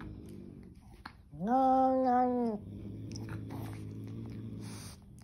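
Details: Angry kitten: a loud, harsh, nasal yowl lasting about a second, rising then holding level, followed by a long low steady growl underneath faint rustling and clicks.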